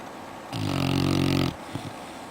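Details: Sleeping red-nose Pit Bull puppy in its bed after outdoor play, giving one steady, low, droning snore lasting about a second, followed by a couple of soft snuffles.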